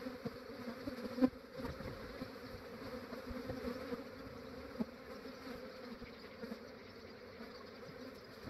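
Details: Honey bees of a massive swarm collected into a trap in Australia early in the morning; a continuous droning hum from many wings, steady throughout, with occasional soft knocks and handling noises.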